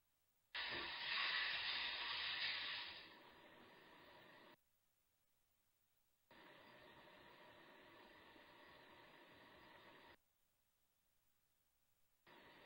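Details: Summer rehab bobcat at Big Cat Rescue, trying to sit in a space too small for it, gives a long breathy hiss lasting about two seconds, followed by quieter stretches of steady airy noise.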